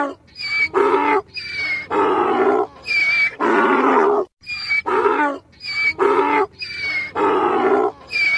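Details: A donkey (Equus asinus) brays in loud, harsh bursts, see-sawing between wheezy in-breaths and honking out-breaths.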